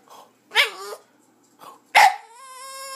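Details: Jazmine, a female Boston Terrier pet, vocalizing at the sight of another dog: two short, sharp yelps about a second and a half apart, the second running straight into a steady, drawn-out whining tone.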